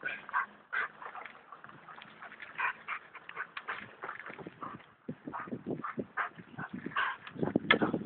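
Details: Alaskan Malamute in harness pulling a bike on his daily run around an estate; a string of short whining yelps and barks in uneven bursts, with a person speaking now and then.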